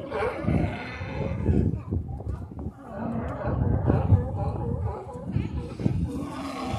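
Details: Sea lions on the Oregon coast at Newport, several deep, rough, overlapping roars and barks filling the air continuously, loud and low-pitched, with a broad hiss of surf or wind behind them.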